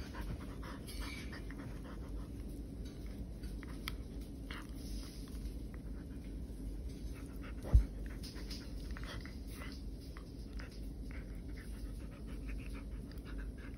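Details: Poodle playing at home while staying in during coronavirus travel restraint; quick, steady panting breaths continue throughout, broken by one sharp knock midway, over a low indoor hum.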